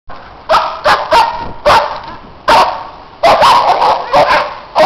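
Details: Neighbours' dogs barking loudly while other dogs play in the snow; sharp, harsh barks in uneven bursts, about nine in five seconds, some doubled close together.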